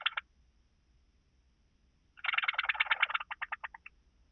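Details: Song of a blue-winged grasshopper in Bernstein, Austria, 2 August 2023: a brief scratchy burst, a pause, then a rapid rasping train of ticks that slows into separate clicks before stopping, over a quiet background.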